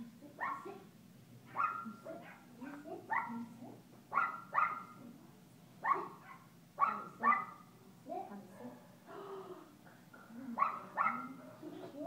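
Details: Alaskan Klee Kai puppy named Kooper at play in a Lake Forest doggy day care; a long run of quick, high yips and barks in irregular bursts roughly every half second to second, with faint voices and a constant low background hum.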